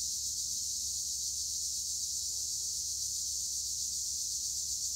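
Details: Steady, high, hissing trill of tree crickets among olive trees in Güre, Edremit, Turkey, sustained without pause, over a soft low rumble.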